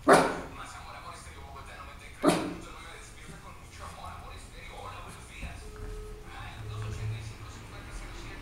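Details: Santhiago, a West Highland White Terrier, busy playing with his bone: two sharp, short barks about two seconds apart, followed by low murmuring speech and soft household sounds.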